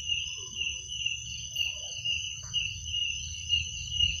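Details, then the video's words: Shrill continuous chirping of crickets at night, a high steady band with a fainter tone above, softly pulsing, with a quiet low rumble below. "Suara jangkrik pada malam hari"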